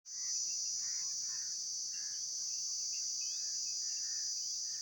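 An insect gives an unbroken, high-pitched ringing buzz, with faint bird chirps in the background.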